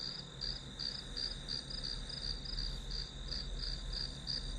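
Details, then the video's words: Rhythmic high chirps from grass insects recorded as study background ambience, evenly pulsed at nearly three per second above a continuous thin whine and a low room rumble, with no other clear sounds. "풀벌레 소리"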